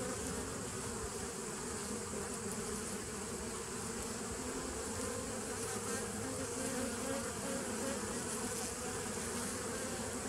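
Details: Steady massed buzzing of bees on 27 September 2018, an unbroken droning hum holding level throughout, thick and textured, with no clear other sounds above the swarm-like background.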